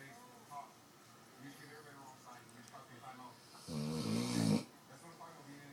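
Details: Presa Canario dog snoring indoors: one loud, rasping, breathy snore lasting about a second, with a low rumbling buzz and a hissing breath, after several seconds of quiet murmuring voices.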